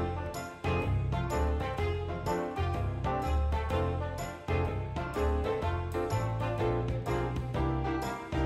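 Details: Bouncy music with jingling bell tones plays throughout, and no animal sounds are heard.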